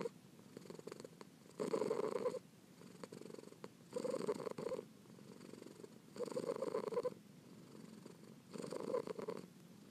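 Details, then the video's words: Pearl, a kitten, purring up close: four strong rumbling bursts about two seconds apart, each followed by a quieter, softer stretch of purr. "ASMR Cat Purring"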